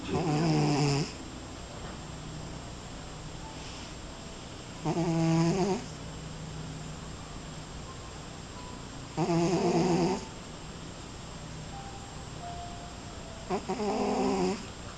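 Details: Cat snoring while asleep curled inside a glass: four rough, buzzy snore breaths, each about one second long, coming roughly every four seconds, with quiet room hiss between them.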